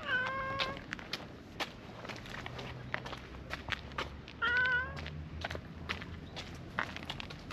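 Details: Stray brown-tabby-and-white cat beside a park pond, moving to where it gets petted; two clear harmonic meows, one at the start and one midway, over soft rustles, clicks and low background hum.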